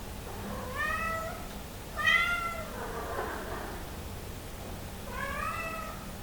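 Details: Somali cat calling out from hunger, wanting into the living room, with three drawn-out meows about two seconds apart, the middle one loudest, each steady and harmonic over a faint background hum.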